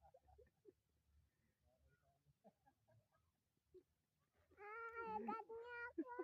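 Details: A child's pet goat lets out a loud, quavering bleat lasting nearly two seconds, rich and wavering in tone, following a stretch of soft human speech and small household sounds.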